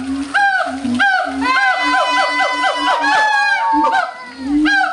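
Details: Captive howler monkeys at the Audubon Zoo, New Orleans, on 16 August 2008, calling very loudly: a dense chorus of harsh, harmonic moaning roars with arching upper tones, one after another with little pause.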